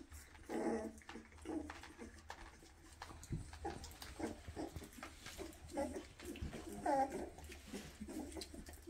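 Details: Weimaraner puppies, 2.5 weeks old with newly opened eyes, running after their mother asking to nurse; soft, short whimpers and squeaks come in scattered bursts, one briefly tonal, over a low steady hum indoors.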